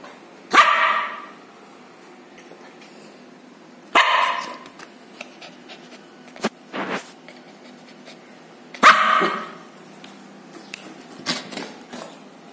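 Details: Six-month-old black and gray Lhasa Apso puppies playing after a bath: three loud, harsh barks about four to five seconds apart, with softer short yips and light clattering between them.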